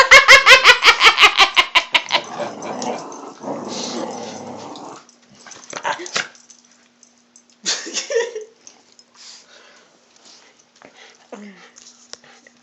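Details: Old hound annoyed during a tug-of-war game with its owners, recorded on an Android phone. About a dozen rapid, evenly spaced barks open, then a low rumbling growl for several seconds, followed by scattered thumps, brief squeaks and near silence.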